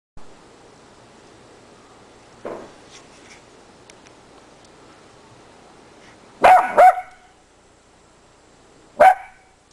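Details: Two Miniature Dachshunds playing in the snow in winter give a double high bark near the end, then a single bark after a pause, with a faint softer yip earlier over quiet outdoor hiss.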